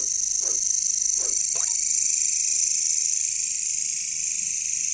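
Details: Jungle katydids, also called bush crickets or caricangkas: a loud, steady high-pitched drone, with three low croak-like pulses near the start.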